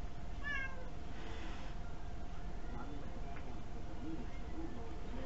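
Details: Pet cat Kuri begging for food while sitting on a chair, recorded indoors on a mini camera; one short bright meow near half a second, followed by a quiet human voice and steady low hum.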